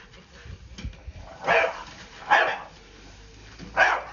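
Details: Staffordshire Bull Terrier with a blue coat telling off a scary broom: three loud, gruff barks about a second apart, with faint indoor noise underneath.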